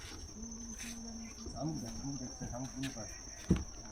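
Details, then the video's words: A cricket's steady, high, unbroken ringing trill runs beneath people talking in the morning on a wooden bridge among mangroves on Henry's Island, Bakkhali, West Bengal. "কথাবার্তা না বললে ঝিঝি পোকার ডাক দারুণ লাগছে।"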